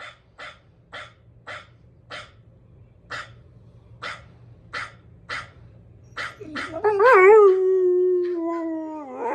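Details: German Shepherd reacting to the sound of dogs barking: a row of short regular barks about every half second, followed by a long wavering howl that rises then holds steady until the end.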